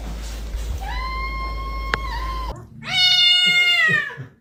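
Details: Domestic cat featured among ranked funny cat sounds: a long, steady, nasal meow held for about two seconds, a brief cut, then a louder, strained meow rich in overtones that sags slightly in pitch before fading.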